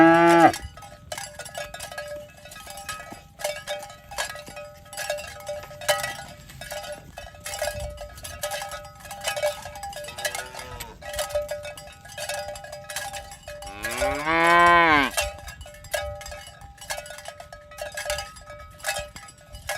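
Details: Cows being herded toward their pen in the morning along village roads, constant metallic bell clanking throughout, a faint short moo midway and a loud rising-falling moo near the end.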